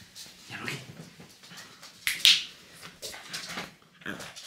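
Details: Pet French bulldog reacting to fingers pointed at him, which he hates; short high whines and yelps with a sharp squeal midway, over people speaking Romanian and teasing him indoors.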